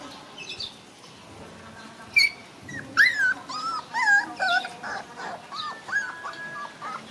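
Young monkeys give thin, wavering whimpers and squeals, calling out for their mother.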